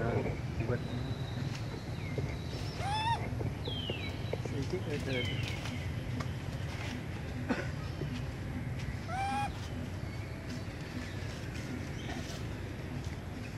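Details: Hungry baby monkey Sweet Pea crying loudly up in a tree, wanting milk: two harmonic upward-sweeping wails several seconds apart, mixed with shorter falling squeals and faint chatter, against low rumbling background noise.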